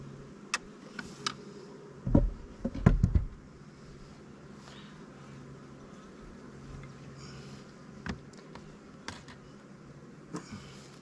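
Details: Twenty-day-old queenright split of honey bees, population booming and building comb in the honey supers during a hive inspection; continuous deep humming drone with a cluster of wooden knocks and handling noises early, then scattered clicks.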